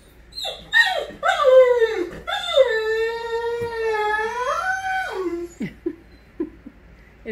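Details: Great Dane; greeting vocalization; greeting its owner on arrival home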